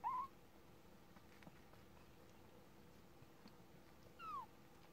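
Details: Thirty-day-old kitten giving two short, thin mews: a brief level-to-rising cry at the very start, then a falling mew about four seconds later. Quiet room background between them.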